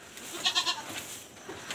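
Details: A newly born goat kid on a backyard farm gives a few short, thin, quavering bleats in quick succession against a faint hiss of background noise.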